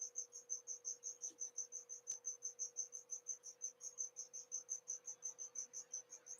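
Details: Loud cricket heard inside a house during a livestream; thin, high chirps repeated steadily about five times a second, over a constant low electrical hum.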